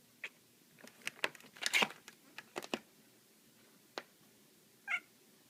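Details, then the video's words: Black female cat at play with a laser pointer inside a room: a cluster of loud knocks, scrabbling and thumps from the chase, then a single short, nasal chirp near the end. "My black cat Salem making funny sounds!"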